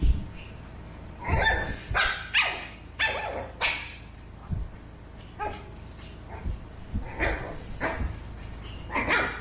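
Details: Burrito, a 13-week-old male Pug, in a lively exchange with Vanta, a two-year-old female mixed Shih Tzu. Sharp yapping barks sound singly or in pairs roughly every half second to second, some rising and breaking.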